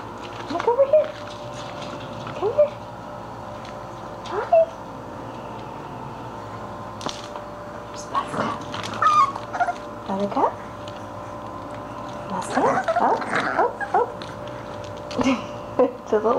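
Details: English Bulldog puppies at play indoors: short, high rising yips and soft whimpers scattered through the recording, some in quick clusters, with a person talking to them between calls.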